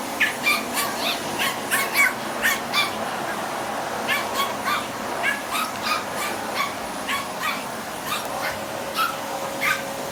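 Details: Spitz attacking a vacuum cleaner, barking in fast regular volleys of shrill yaps, roughly two to three per second with brief pauses, against the constant whine of the running vacuum.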